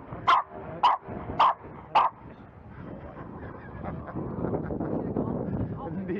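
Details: Bowie, a Jack Russell Terrier in scent tracking training as a search dog, lets out four loud clipped barks about half a second apart, followed by several seconds of rustling, movement and muffled background noise.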